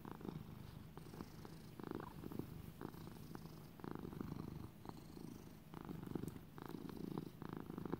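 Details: Domestic cat Little buddy, raised as a lap cat, purring; low vibrating purr with rhythmic breathing-paced bursts roughly every second, steady and close, quiet room around.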